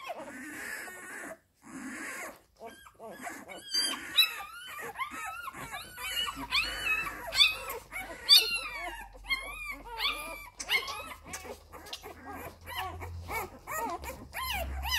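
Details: Labrador Retriever puppies suckling at their mother's teats: a busy stream of squeaky whines and whimpers from several pups, with human speech at the start and a low hum underneath later.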